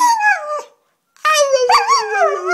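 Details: An Alaskan Malamute gives drawn-out, wavering howls that slide gradually downward in pitch, howling along with its owner.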